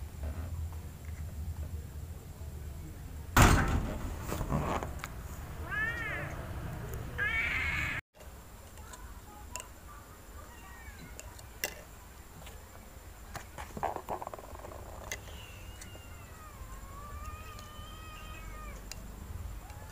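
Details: At night, two kittens compete over milk. A sharp knock comes first, then a pair of rising-falling meows around six seconds. After a brief dropout come softer, wavering mews with some clicks and light handling noise.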